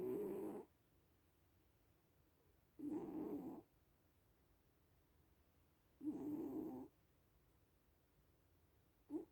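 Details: Dozing little cat with gentle snores, four grainy low breaths roughly three seconds apart, each briefly swelling then fading into a hushed, still background.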